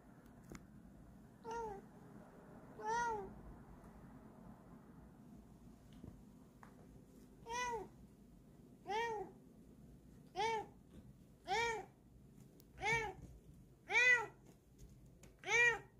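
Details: Female cat showing off her paws, giving about nine short, mid-pitched meows spaced one to two seconds apart; the first few are faint, and the later ones grow louder and clearer against a quiet room background.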